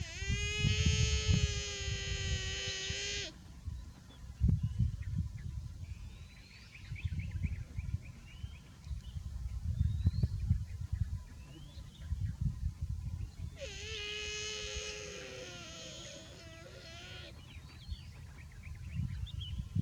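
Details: Buffalo calf said to be too hot, giving two long, strained bawling calls, rich in harmonics and wavering at the end, each about three seconds, at the start and again near thirteen seconds; low rumbling background and faint bird chirps.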